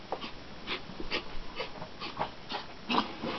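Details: Foster Chihuahua, a young female rescued from Ireland with fear aggression, indoors; soft breathy whimpers and snuffles in short bursts about every half second, with light tapping between.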